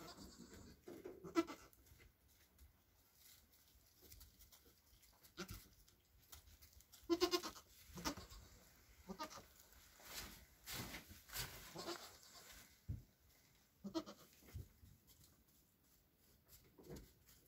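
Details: Nigerian Dwarf goats, two kids born hours earlier beside their mother: short nasal bleats come in small bursts, the clearest around the middle, over quiet rustle.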